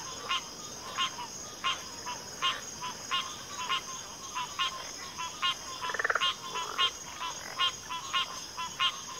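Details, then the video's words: Frogs calling in a chorus, short rattling pulses repeated about every half second in a regular beat, one longer buzzing trill in the middle, constant high insect drone behind. "FROGS - Pig Frogs, Water Frogs, Backwater Chorus, & Frog Chorus"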